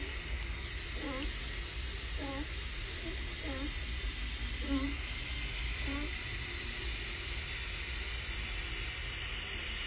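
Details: California sea lion barks picked up by hydrophone off Point Robinson, Vashon Island, Puget Sound, Washington, USA, likely barking at the surface; short harsh honks about every second over steady hiss, stopping possibly when an outboard boat disturbed them.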